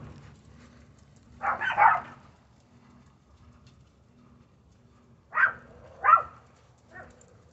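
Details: Chihuahua puppy, female, busy digging under a fence, gives a few short yappy barks in two bursts, a pair near the start and three more later, with quiet background between.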